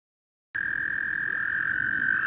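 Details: American toads (Anaxyrus americanus) calling during breeding at Eldon Russell Park, Geauga Park System, Ohio: a long, steady, musical trill held at an even pitch without a break.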